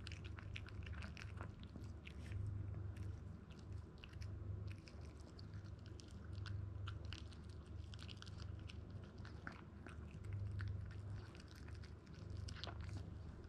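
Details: Toy Poodle puppy named Zen, a 62-day-old male born in Japan weighing 1290 grams, eating grain-free dog food indoors; steady rapid crunching and biting sounds, several per second, continuing throughout with a low room hum.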